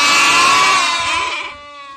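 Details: A goat perched up in a tree gives a loud, wavering, nasal bleat that trails off into a fading tail.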